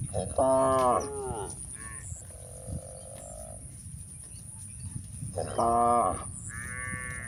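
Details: Village cows grazing on a green pasture, with two strong, harmonic, slightly wavering moos about five seconds apart, plus softer higher-pitched moos and calls between them against a quiet field background and a faint steady high tone.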